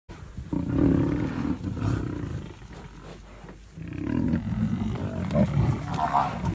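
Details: Lion near buffaloes giving deep, rough roaring groans in two long bursts, the second rising into higher strained notes, over a noisy, possibly music-backed track.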